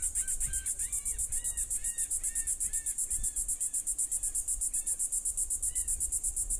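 A cicada's high, shrill buzz pulses steadily and rapidly, with faint bird chirps underneath.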